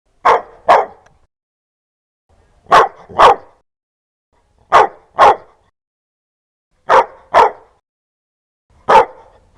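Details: Loud, fierce dog barks, mostly in sharp pairs about every two seconds and ending on a single bark, with clean silence between the barks.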